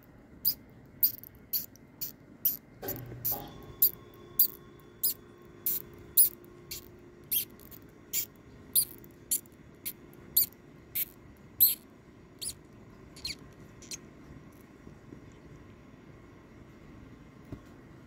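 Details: Blind baby mice offered as live food to a king snake squeak in a steady series of brief, piercing high notes roughly every half second, slowing toward the end, over faint room hum and a brief thump.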